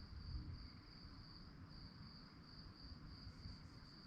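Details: Crickets chirping at night: a steady, high-pitched pulsing trill that runs unbroken, with brief softer dips near the end, over a constant low rumble.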